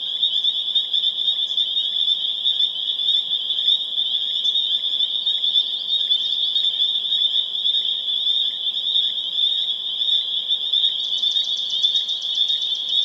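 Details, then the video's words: Spring peeper chorus recorded April 27, 2011 in Harvard, Massachusetts, a loud, continuous wall of high piercing peeps merging into one shrill ringing tone, with a short burst of rapid trilled notes near the end. "Spring Peeper Chorus Builds to a Crescendo"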